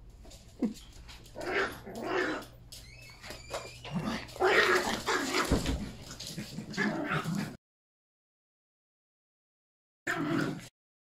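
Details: Yorkshire Terrier puppies Pepper and Mommy with three puppies, filmed Aug 29 at a last play together before one leaves for the Okanagan; scuffling with short yips and whimpers for seven seconds, then silence and a brief final burst.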